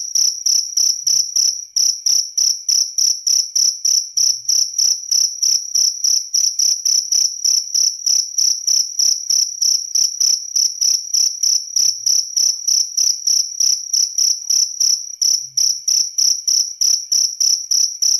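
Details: A cricket calls with a continuous run of piercing, high chirps, about three per second, briefly faltering a few times but otherwise regular, against an otherwise quiet background.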